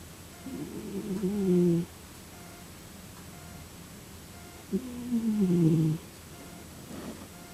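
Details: Domestic cat snoring: two drawn-out, low, slightly tonal snores, each sliding downward and lasting over a second, about three seconds apart, with a soft rasp near the end and steady background hiss.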